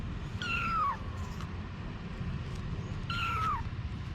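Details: Mother cat named Anna with her babies: two clear descending meows about two and a half seconds apart, each sliding down from a high start, against a constant low engine-like hum.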